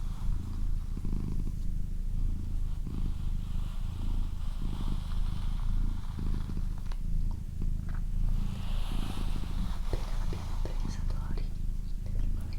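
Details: Continuous low, pulsing purr from Doroti, a female house cat, recorded up close in a quiet room; the rhythmic rumble rises and falls with each breath, and there are faint rustles near the end.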